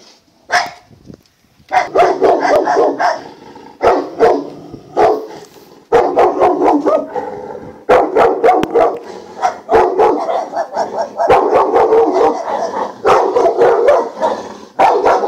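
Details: Presa Canario named Yaconda at Faro de Maspalomas: one sharp bark, then a pause, then loud, rough barking in dense bursts of about a second, broken by brief gaps and clicks.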